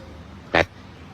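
A proboscis monkey gives one short, nasal honk, a single abrupt burst lasting about a tenth of a second against a quiet background.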